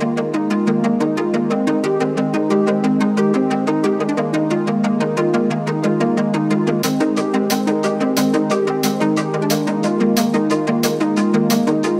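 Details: Loud electronic keyboard music with a steady beat and repeated synthesizer chords throughout; no animal sound is heard.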